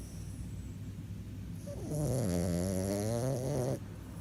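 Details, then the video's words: French Bulldog snore: after a quiet breath, one snort-like rattling snore swells in and holds for about two seconds, its gravelly buzz wavering slightly in pitch before cutting off. "French Bulldog Snoring"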